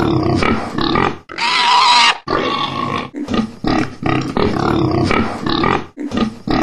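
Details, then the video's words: Pig grunting in a steady series of rough, noisy grunts, with one loud sustained squeal of about a second near the start. "COCHON qui GROGNE CRI du COCHON - Verso del maiale - PIG sound"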